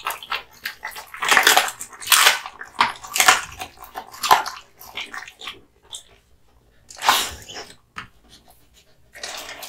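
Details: Male American Bully Kotetsu, born August 2016, feeding on hung raw meat and bones. Wet crunching and tearing bites run in uneven clusters roughly once a second, broken by short near-silent pauses.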